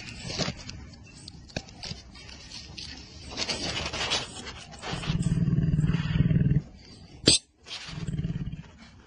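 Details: White tiger, described as ferocious and attacking a cameraman, makes low rasping snarls and then a long, deep, steady growl lasting over a second, repeated after a sharp thump.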